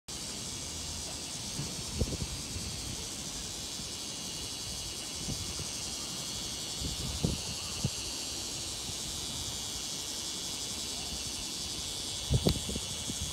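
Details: Bear cicada singing at Tsukudabori, Japan, around 9:58 a.m. on 17 August 2018, a singing style said to differ from the Kansai region; a dense, continuous high hiss-like buzz over faint low rumbles and occasional knocks.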